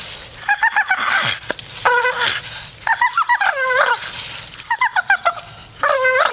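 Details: Grumpy Staffordshire Bull Terrier grumbling in short, whiny, pulsed bursts that bend up and down in pitch, with brief pauses between phrases.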